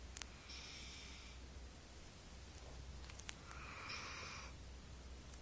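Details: Maggie, a four-month-old Golden Retriever pup, breathing noisily in sleep: two soft, airy wheezing breaths about three seconds apart, over a low steady hum.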